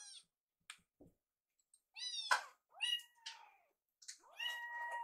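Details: Two young rescue kittens waiting for food by a microwave: a few soft clicks, then a run of bright, insistent meows, several long drawn-out calls with steady pitch near the end, in quiet indoor surroundings.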